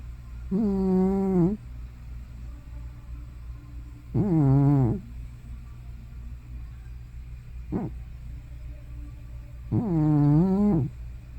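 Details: ['Hana, an elderly cat of probably over 15 years, sleeping and making loud snoring or sleep-talking sounds at home in Japan: three long harmonic moaning snores, wavering and slightly falling, about every four seconds, plus one short snort between.']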